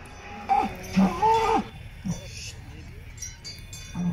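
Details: Salers cattle at a show in Pleaux, Cantal, France, 13 August 2022: a short bellow rising and falling within a second, then fainter lowing amid background chatter and bells.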